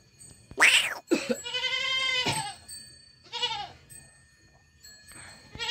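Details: Young goat kid bleating: a sharp cry, then one long wavering nasal bleat, followed by a shorter quavering one, with faint steady high tones in the background.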